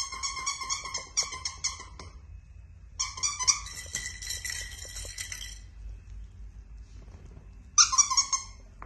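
A Yorkshire Terrier gives high, tonal whines and yelps in short bursts separated by pauses.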